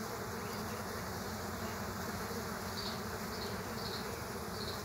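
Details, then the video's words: Multiple killer hornets attacking ground-nesting bees at an underground nest; a heavy constant buzzing of many insects, deep and rough, with several short higher-pitched whines near the end. "Multi killer hornet fight scene | Bee underground Nest"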